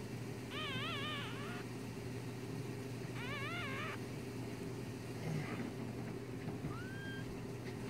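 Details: One-day-old newborn kit fox kits making two quavering, harmonic-rich whines, each about a second long and a few seconds apart, then a faint rising squeak, against a constant low background hum.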